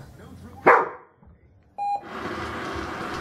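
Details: Alisa, a Rhodesian Ridgeback training with a Manners Minder, gives one abrupt loud bark early on. A short electronic beep follows, then a person talking over steady background hiss.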